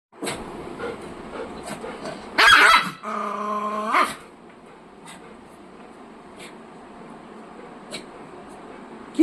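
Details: A pet dog reacting to a rat makes a harsh burst, then a steady, low, droning growl of about a second, followed by quieter household background and faint ticks.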